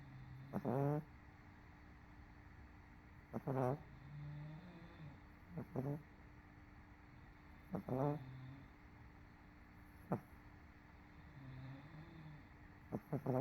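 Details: MoMo the dog, worn out after a rough day, sleeps on a couch, snoring in low rasping bursts roughly every two to three seconds with softer breaths between; CoCo sleeps nearby upside down.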